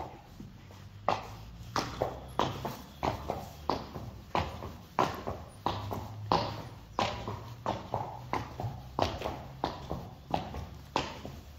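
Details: Friesian horse hooves clip-clopping at a steady walk on a hard surface, about ninety sharp knocks a minute in an even rhythm, with a low rumbling hum underneath.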